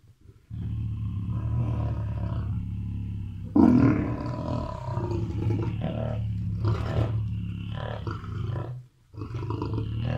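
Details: Lions at Mount Etjo Safari Lodge in Namibia, roaming free while eating and fighting for the better part of the meat: sustained low growling roars, a louder burst near four seconds, and a short pause before the rumbling resumes.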